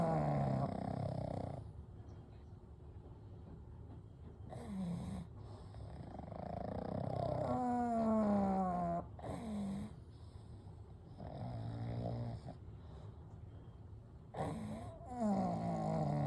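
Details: Pugs Kou, Gen and Shun asleep together, three dogs snoring and breathing softly; rhythmic rasping snores recur every couple of seconds, one with a rising-falling whistled nasal tone, steady low breathing throughout.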